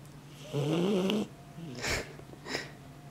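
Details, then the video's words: Dobermann puppy snoring in its sleep, opening with a loud, rising, whining snore of about a second, then two softer breathy exhalations, with a constant low hum underneath. "Snoring doberman puppy"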